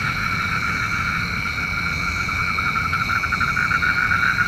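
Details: Nighttime frog chorus, the croaking said to call the rain: quick rattling pulse trains that build toward the end, set against continuous high whining bands and a soft low rumble.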